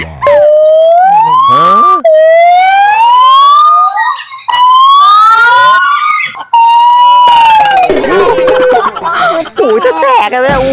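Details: Gibbon at Huai Sai Zoo, Thailand, calling ear-splittingly loud: long, clear, whistled hoots, each sliding upward over about two seconds and repeated in series, then a faster, wavering, bubbling stretch, with excited human voices around.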